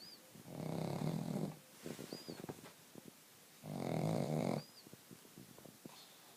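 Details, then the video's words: Pug asleep and snoring: two long rasping, rumbling snores about three seconds apart, each near a second long, with faint clicks and light rustling between them, in a quiet indoor room. "Pug snoring"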